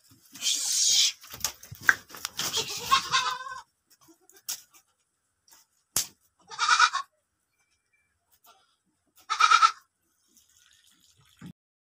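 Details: Beetal goat kids, the Amritsari Beetal breed, on a goat farm: after several seconds of rustling and handling noise, two clear, nasal, harmonic bleats about three seconds apart, with a sharp click between them.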